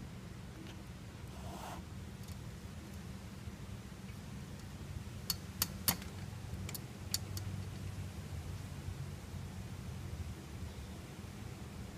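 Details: A low mechanical hum runs throughout, with a brief rustle and sharp metallic clicks like jangling keys near the middle, and no animal sound.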